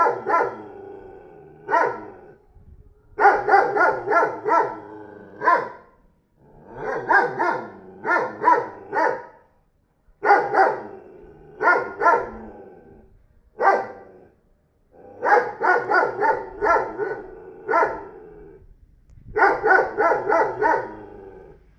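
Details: Barking from a 40 kg dog just bought by a neighbour: loud, harsh, repeated woofs in clustered runs of three to six, separated by brief gaps, continuing steadily throughout.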